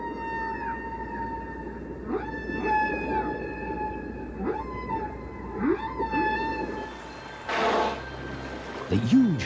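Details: Humpback whale song, the kind of recording carried aboard the Voyager probe as a greeting from Earth; sustained tonal moans with harmonics, broken by repeated swooping upsweeps and downsweeps and a burst of broadband noise near the end.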